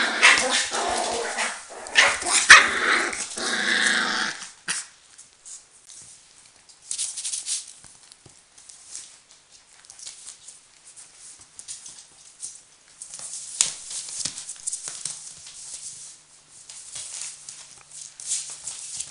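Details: Border Collie litter at four weeks old, together with their mother, FI CH Arttulan Loistava "Nova". A rough, harmonic growling and yapping burst fills the first few seconds, then soft scrabbling and rustling with a faint yap or two follow.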